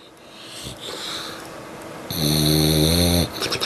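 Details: Dog snoring loudly at home: soft breathy rumbling, then a sustained nasal whistling snore of about one second with rich, steady harmonics, fading into short rasping breaths.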